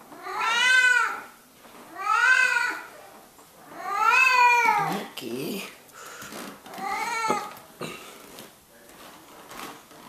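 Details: Pet cat Mickey Mouse calling from beneath a cover with a run of long, bowed meows, three strong ones then shorter, weaker meows mixed with a brief human voice and rustling in a small room.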